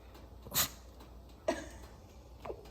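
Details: Puffy, a Shih Tzu, answers with a sharp broadband sneeze near the start, followed by softer snorting bursts, while a person keeps asking whether the dog is hungry and wants a treat.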